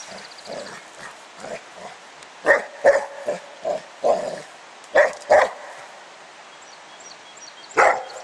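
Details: Pet dog Spike outdoors, playing with a 10 lb weight: scattered soft grunts, then sharp barks in pairs around the middle and one more near the end, with quiet gaps between.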